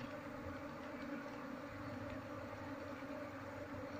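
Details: A honey bee colony, confused and searching for its missing queen during a move into a hive box, gives a continuous dense hum with steady layered tones and no breaks.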